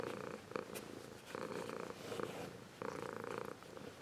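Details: Zeus, a grown Ragdoll cat, purring steadily, a warm soft rumbling vibration that swells and fades with each breath.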